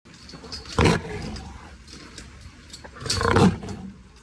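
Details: Tiger. A tiger gives two throaty roars, each a brief, powerful blast with a gravelly low rumble. A quieter stretch of low background murmur fills the gap between the bursts.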